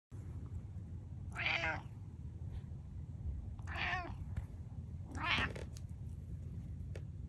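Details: Butters, a pet cat, trying to meow like a normal cat: three short raspy, strained meows spaced about two seconds apart over a steady low background rumble.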